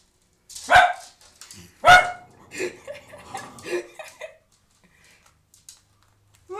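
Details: Cavalier King Charles Spaniel indoors, scared of a new toilet seat, gives two sharp, loud barks about a second apart, followed by softer grumbling and huffing noises before falling quiet.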